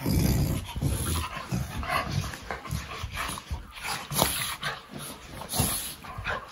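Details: Playful growling from a fox red Labrador puppy play fighting with a chocolate Labrador: rough, low growls and grunts in repeated bursts, loudest at the start, mixed with scuffling and an occasional sharp yip.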